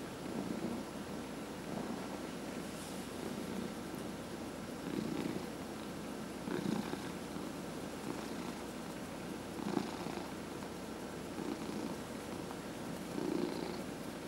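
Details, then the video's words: Cat being massaged at home, one of four purring house cats; low throbbing purr swelling with each breath in and out, punctuated by occasional light taps and rustling. "Four Purring Cats — Cat Massage"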